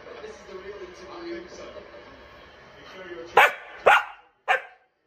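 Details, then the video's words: Rory, a Scottish Terrier, throwing a tantrum indoors while his owners are away on holiday: low talking and murmurs at first, then three sharp, loud barks in quick succession about half a second apart near the end. "Scottish Terrier Rory having a tantrum"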